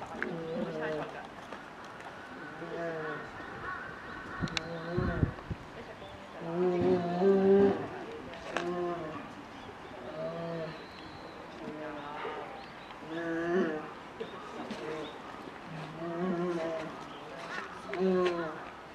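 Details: Captive polar bear cub nearly one year old pestering its mother to nurse, Maruyama Zoo, Hokkaido, Japan, mid-December 2011; a steady series of short, throbbing, nasal whines with stacked overtones, visitors talking throughout.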